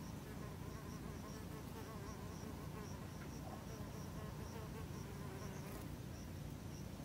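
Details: Female Anthidium loti wool carder bees, several at once, gathering plant hairs from globe thistle (Echinops ritro) leaves to roll into balls for nest cell walls; a low, wavering buzz rises and falls continuously over a steady, thin high tone.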